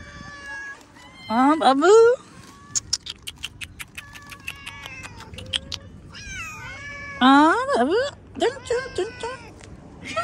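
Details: Domestic cat meowing while a woman coaxes it in Hindi and asks if it is hungry. Two loud, drawn-out meows rise and then fall, the second about five seconds after the first. Short clicks and soft speech run between them.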